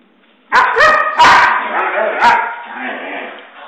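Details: A pet Husky at home whines and 'talks' after its owner gets back from work, wanting a walk: loud, drawn-out moaning yowls in three rising and falling bursts, then a long wavering whine that fades.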